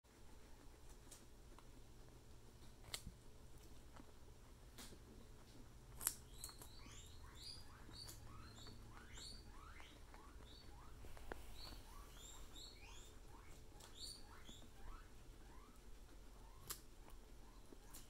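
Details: Pet guinea pigs during carrot thievery: bursts of short, rising squeaky chirps, several in quick succession, repeating through the middle of the recording, with occasional sharp clicks and taps in between.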